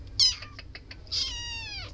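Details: A cat gives a brief high chirp-like meow, then a longer clear meow that holds steady and slowly falls in pitch. Faint clicks come between them in a quiet room.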